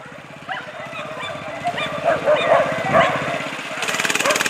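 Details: Male whippets in the national-class final of the 62nd International Sighthound Derby racing event. Short sharp barks and yelps come at irregular moments over a steady low mechanical hum, ending in a burst of broad hissing noise.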